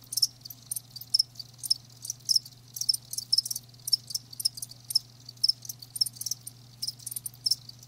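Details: High, crisp chirps from live crickets repeat about twice a second, with fainter chirping around them and a steady low-pitched hum in the background.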